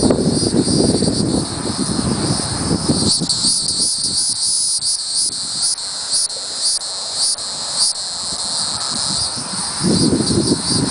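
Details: Hieroglyphic cicada (Neocicada hieroglyphica), calling song.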